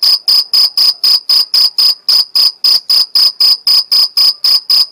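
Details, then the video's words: Chirping of a Mediterranean field cricket from the Algarve, Portugal, made by stridulation: shrill, evenly spaced pulses, roughly four each second, bright and metallic, with no other sounds. "Cricket Chirping Sound Stridulation Grilo Cantando"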